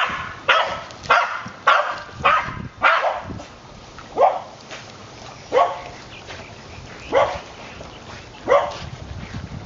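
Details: Ginger, a five-year-old white female terrier, barks while swimming after a ball thrown into the water. About eight sharp barks sound in close succession at first, then spread out to roughly one every one and a half seconds, with steady background noise.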